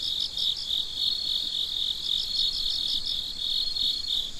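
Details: Nighttime crickets sing a bright, steady high-pitched trill broken by short rhythmic pulse bursts, with the chorus clear over a quiet background.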